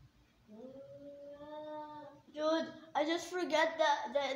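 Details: Two angry domestic cats fighting: a long, steady, low yowl swells, then breaks into loud, harsh, ragged screaming and squalling bursts repeated rapidly.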